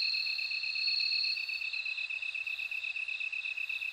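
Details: Bell cricket song with a bright ringing tone strongest in the first two seconds over a continuous fast-pulsed high trill; no other sounds.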